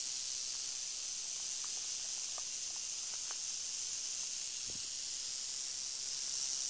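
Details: Northern Pacific rattlesnake (Crotalus oreganus) keeping up a constant high, steamy hiss, with faint brief lower blips scattered in the background.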